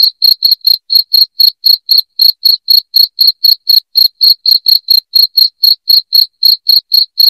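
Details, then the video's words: Shrill cricket chirps, played to drive off house rats, fire in a rapid even series of about four per second, clean with no other sounds. "SUARA JANGKRIK NYARING"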